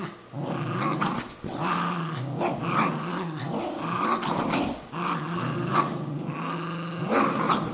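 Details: Pet Cairn Terrier and Jack Russell Terrier scrapping over an old golf glove indoors, giving continuous deep rumbling growls in long waves, swelling and easing every second or so, with rasping snarls throughout.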